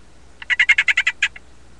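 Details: Male golden poison frog of the mint form calling to attract females: a brief trill of about nine rapid, evenly spaced chirping pulses at a steady pitch, lasting under a second, over a faint low hum.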